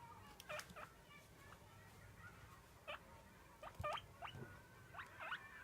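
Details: Domestic guinea pig begging for food at feeding time, repeated sharp upward-sweeping squeaks in short bursts, about a dozen over several seconds, with quiet room noise between calls.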